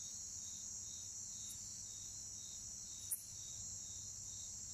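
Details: Bucrates katydid, one of two present, giving a single short, loud click-like chirp midway, set against a steady high-pitched continuous buzz from other orthoptera and a low background rumble.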